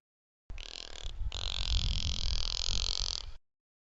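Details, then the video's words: A bottlenose dolphin vocalizing in air makes a harsh, raspy, grunting sound lasting about three seconds. "This is actually a dolphin vocalizing in air."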